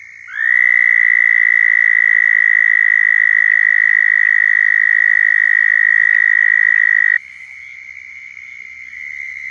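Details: Southern toad giving its mating call in Florida, a loud, steady, buzzy trill that starts abruptly and holds on one pitch for nearly seven seconds before cutting off, with a softer trill continuing in the background.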